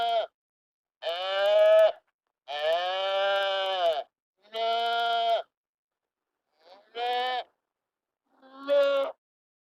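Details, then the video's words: Sheep bleating: six clear, harmonic-rich baas, some short and some drawn out over a second or more, each separated by a pause of silence. "sheep sound effect , lamb noises"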